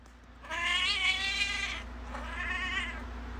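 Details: Lilac point Siamese cat of the modern type meowing: a long, drawn-out wailing meow with rich, wavering harmonics lasting over a second, then a second, softer meow that rises and falls, over a steady low hum.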